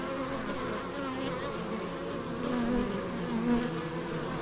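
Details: Bees buzzing in the Biblical Gardens, Elgin, Moray, Scotland: a steady, low droning hum with overlapping wingbeat tones that swell briefly as insects pass close, over a soft outdoor background.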